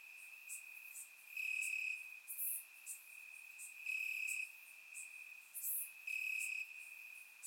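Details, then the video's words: Crickets calling from grass on a warm Bulgarian summer night: a sustained high ringing trill that intensifies in repeated half-second bursts, with sparse high-pitched clicks overhead. "Cricket Sounds - Crickets Chirping at Night"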